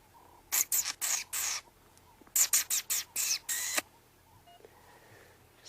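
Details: On a sunrise safari, dwarf mongooses trade rapid, high chirping contact calls in two quick bursts, with an instant response from the other; the front one is guessed to be male.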